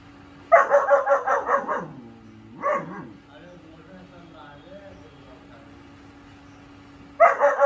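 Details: Barking from a four-month-old German shepherd puppy: a fast string of about six barks, a brief softer bark, a quiet stretch with faint background sounds, then a new rapid burst begins.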